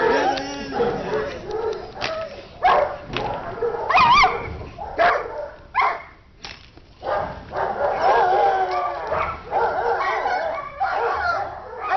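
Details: A Belgian Shepherd barks aggressively in loud, harsh bursts during guard-dog attack training, with a person's voice mixed in.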